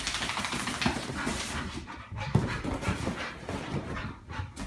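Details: Rocco, a bull terrier, playing indoors with an IKEA tent, gives rough, broadband barks and growly huffs at irregular intervals, mixed with rustling and thumping from the play and a low engine-like hum.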